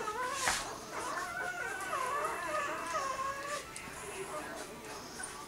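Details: Willy and Olimpiya's pups, six days old, whimper in thin, wobbling cries that slide up and down over a few seconds, then fade into softer murmurs and light background rustling.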